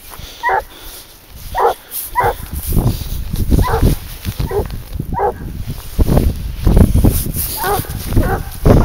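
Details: Young hunting dog, 22 months old, barking steadily on the scent of wild boar during a leash hunt; a string of about ten barks over heavy low rumble, with brief human voice.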